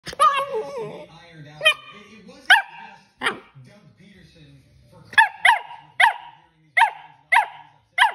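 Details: Corgi throwing a tantrum, giving loud sharp barks and yelping cries, a wavering whine at the start, then a run of evenly spaced harsh barks about every half second near the end.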